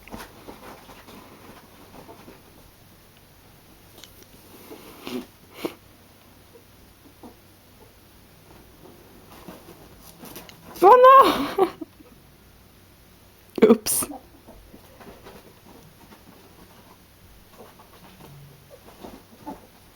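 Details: Pet ferrets, a pair, playing indoors in a small room: long stretches of quiet sniffing and shuffling broken by two loud, harsh chattering outbursts in the middle, each lasting about a second.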